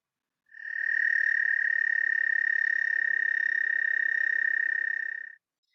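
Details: An American toad, an early spring frog, gives its long, monotonous call: a steady, high musical trill that holds one pitch for about five seconds.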